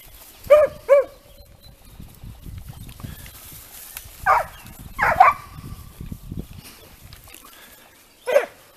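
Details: Italian Segugio hounds in training on hare, outdoors: scattered high, ringing bays, a pair of clear yelps early, then a cluster of rougher cries midway and one final bay, with rustling between.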